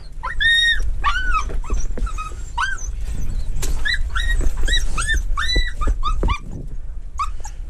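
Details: Treeing walker coonhound, hunting mink alongside a dachshund, giving a rapid series of ringing, upward-bending bay barks and yelps, many per second with short pauses, over steady low rumbling outdoor noise.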